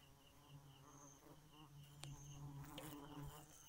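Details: Bee at night giving a steady low droning buzz with rich overtones throughout, over a backdrop of faint, rapidly pulsing high insect chirps and a few brief clicks.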